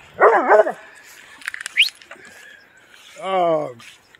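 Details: A Doberman Pinscher in upstate New York barks at about three deer: one rough, wavering bark at the start, then faint clicks and a man's voice calling to the dog.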